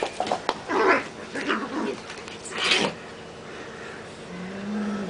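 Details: Cats fighting: harsh broadband screeches and spitting bursts in the first three seconds, then a low, drawn-out growling yowl that swells near the end.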